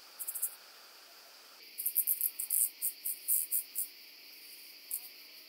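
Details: Common pincer grasshopper (Calliptamus italicus) singing on Pag, Croatia, on 2 September 2019, captured with an ultrasound detector: short, very high rasping bursts, a quick cluster, a pause, then a run of about ten evenly spaced pulses.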